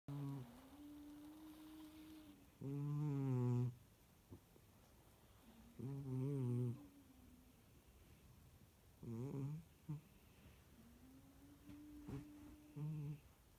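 A Sphynx cat snores softly, low buzzy breaths returning about every three seconds in a quiet room.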